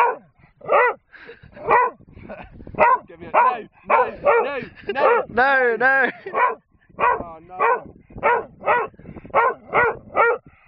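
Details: Bob the dog barks insistently on a hill at a man, demanding a wooden gun found on the hillside. A human voice briefly overlaps the middle, and repeated sharp barks follow at a fast, even pace.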